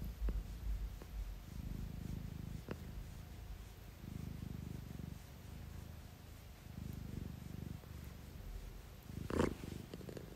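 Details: A 1-year-old female British Shorthair cat, yawning and almost falling asleep, purrs in low, rhythmic rumbling pulses, swelling and fading with each breath.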